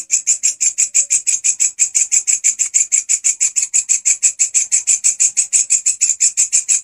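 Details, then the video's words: Loud, active grasshopper song used as a master recording for training songbirds: a hard, dry rasping pulse repeated at a rapid, steady beat several times per second. Each pulse is bright and high-pitched, and nothing else competes. "Belalang gacor volume pedas !! walang kecek si masteran burung kicauan"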